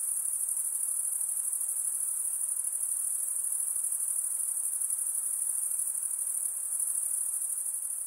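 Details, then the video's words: A night insect chorus: continuous very high, fine-grained trilling that holds steady from start to finish over a quiet hissing backdrop. "night insect sounds"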